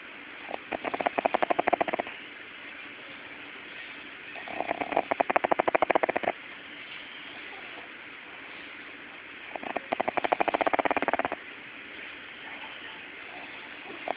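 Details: A Pug puppy asleep and snoring: three rattling, fluttery bursts of rapid pulses, each lasting about one and a half seconds, recurring roughly every four to five seconds over a steady background hiss.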